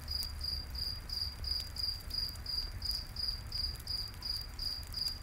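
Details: High, pulsing cricket chirps in a night forest by a campfire, evenly spaced at roughly three per second, with faint crackling from the fire and a low background rumble.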